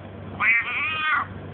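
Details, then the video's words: Domestic cat replying to its owner, who keeps coaxing it to say "quack" in Russian; a clear, tonal meow of under a second, fairly level then dipping at the end, with the man's voice around it. "Talking cat!!"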